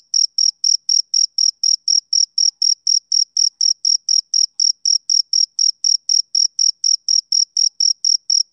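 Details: Summer-evening chirps from a male cricket: shrill, even pulses at about four a second, steady in loudness and pitch, with a silent background.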